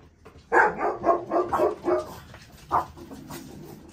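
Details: Small Shih Tzu puppy; a burst of about six short, sharp yips in quick succession, then a pause and one more yip, close and clear.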